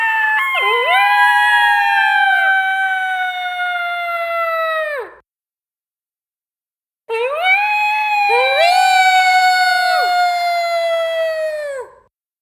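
Two coyotes howl together in long, wavering tones that rise, hold and drop away.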